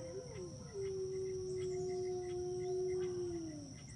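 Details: Spirit, a wolf at Wolf PAWS, joining the pack in howling: overlapping voices, one long steady mid-pitched howl that falls at the end over a higher second howl, with a constant high insect-like whine behind.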